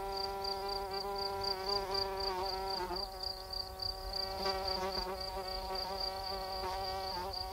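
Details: Cricket calling at night, a high, rapid pulsed chirping repeated steadily about four times a second, set over a continuous low droning hum with layered tones.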